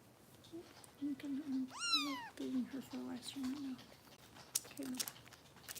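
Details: A female foster kitten named Harper, just over 400 g and being bottle-fed by rescue volunteers in Los Angeles, lets out one clear rising-then-falling meow while a woman talks steadily nearby.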